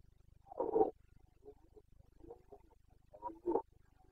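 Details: Red deer stag of the Carpathians in Bucovina, Romania, bellowing in the rut on 29 September 2022; two rough roars open and close the stretch, with softer grunts between over a steady low hum.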